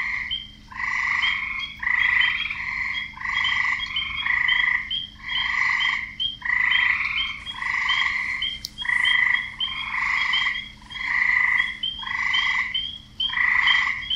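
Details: Male frogs croak to attract females, a steady run of rasping croaks roughly every second with a higher tonal note riding above and a soft continuous hum underneath.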